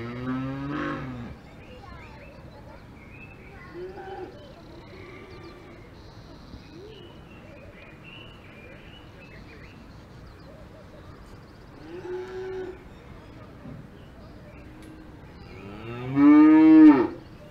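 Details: Cows on a farm in the Alps: a loud, harmonic moo opens, softer low lowing calls come around four and twelve seconds, then a strong drawn-out moo near the end, over a quiet background.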